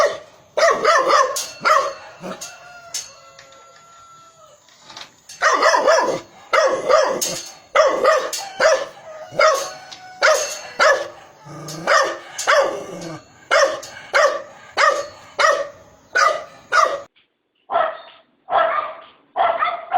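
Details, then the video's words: Dog barking in a long, uneven run of sharp barks, at first sparse, then dense and rapid, with a faint drawn-out tonal sound near the start and a brief break near the end. "Dog barking"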